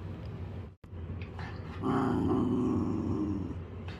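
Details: Pet dog growling at home while playing with a person: a low, rough, continuous rumble that swells after a short pause and holds steady for about two seconds, with faint higher overtones and indoor background noise.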